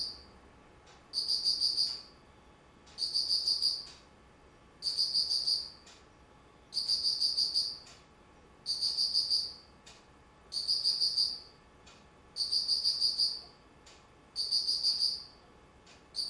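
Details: Insects singing in autumn, 19 September 2009. Nine evenly spaced bursts of rapid, shrill pulsing, each lasting close to a second, recur roughly every two seconds with soft clicks between them in a quiet setting.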